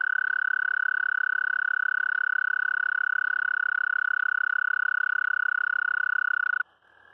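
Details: American toad (Anaxyrus americanus), mating call: attracting a mate.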